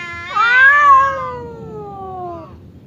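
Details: Aggressive cat Temon squaring off against calmer cat Lelo, kept apart by a divider; a single drawn-out wail that rises sharply then glides downward for about two seconds, over a low background rumble.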